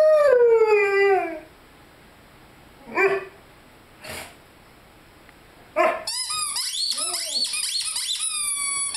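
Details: Young Rhodesian Ridgeback, five months old, with his squeaky chicken toy: one long falling howl opens, then a few brief yelps after a pause, and finally a dense run of rapid high toy squeaks.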